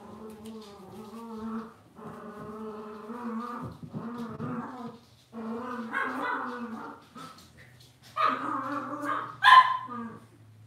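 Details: Cavalier King Charles Spaniel puppies in an indoor home puppy pen give long, steady, tonal whines in several drawn-out bouts, then sharper rising yelps near the end, with a low hum underneath.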